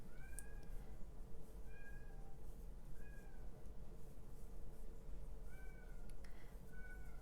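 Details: Young male kitten outside wanting to come in but unable to, meowing about six times over seven seconds; each meow a short, slightly falling wail, heard muffled from indoors over a steady low hum.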